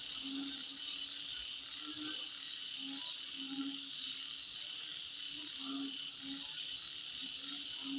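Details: Steady insect chorus at midnight, bright and unbroken, with deep short croaking notes repeating about every second and faint higher chirping trills mixed in.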